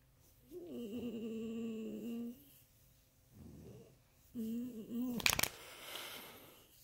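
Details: A Miniature Pinscher voicing pleasure with long wavering whining moans that bend up and down, two drawn-out bouts, then a sharp rustle near the end indoors.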